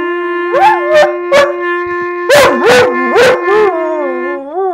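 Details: Yogi, a dog, sings along to a clarinet: a series of short howled yips that swoop up and down in pitch, five or six bursts over a steady, sustained clarinet note that carries through the pauses and ends with a final rising howl.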